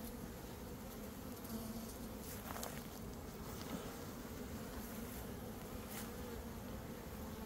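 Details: Honey bee swarm hums steadily as beekeepers catch it into a box in early May, just after a dearth; dense low droning buzz throughout, with faint clicks and handling noise.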